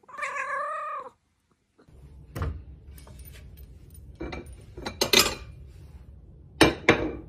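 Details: Domestic cat, from a funny cat compilation, giving one wavering, harmonic meow of about a second, followed by silence and then loud knocks and thuds of handling or household clatter.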